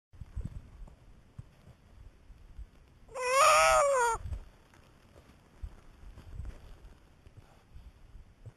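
A harp seal pup lets out a single nasal, bleat-like wail that wavers slightly in pitch and lasts about a second. Low rumbling background noise and faint knocks fill the rest of the clip.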